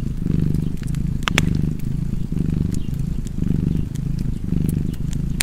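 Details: Cat purring beside a crackling fireplace: a deep, steady rumble that swells and eases about five times in five seconds, with sharp pops and snaps of burning wood scattered over it.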